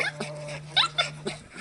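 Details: Border Collie puppies aged 50 days, a litter of two males and two females born 24 September 2016, play boisterously. Short high yips and squeaks come in quick bursts about every quarter second, with a constant low hum beneath.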